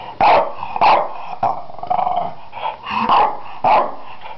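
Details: A Finnish French Bulldog gives short, hoarse barks in quick succession, separated by a low, rasping growl.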